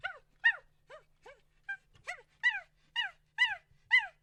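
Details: Wild monkey giving a series of nine sharp, arched, harmonic cries, each rising then falling in pitch, repeated about twice a second and growing louder toward the end, with a quiet background.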